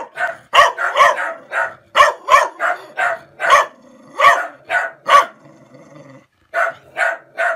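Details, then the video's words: Dog reacting to a stranger with a steady string of sharp, harsh barks, a short pause near the end, then three more woofs. "Dog barking woof woof"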